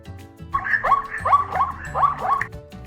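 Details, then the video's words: Zebra calling: a fast run of about six hoarse, yelping barks over roughly two seconds, each note with a sharp rise, and soft music playing underneath. "Zebra and Sound of Zebra"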